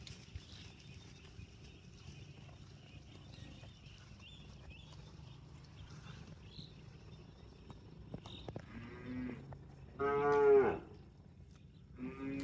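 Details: Little cows in a park moo in short, harmonic bursts, the loudest near the end, over a low background hum.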